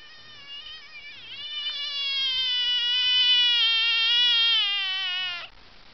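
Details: Noisy frog calling with a sustained, harmonic drawn-out cry lasting over five seconds, starting with a small dip, growing louder through the middle, then ending suddenly.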